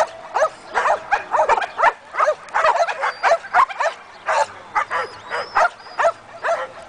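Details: A Belgian Malinois, one year old, in guard and protection training, barks sharply and repeatedly in short, punchy bursts that come in irregular clusters throughout.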